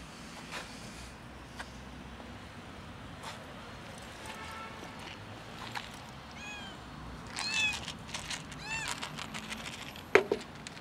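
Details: Rooftop cat calling to be helped down, its arched, wavering meows repeating faster and louder toward the end over a steady outdoor hiss, with scattered clicks and a sharp knock near the close.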